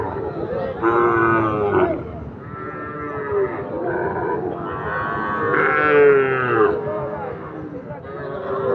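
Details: Young Sahiwal bull calves, farm-suitable, traded at the twice-weekly Ambari market: several loud, moaning moos in succession, some rising and falling, over a busy background of people talking and bargaining.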